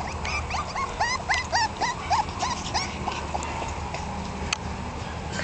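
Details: Several 1.5-month-old male Jack Russell Terrier puppies from two sister litters whimper in thin, high, quickly repeated overlapping cries while playing, crying as their way of talking.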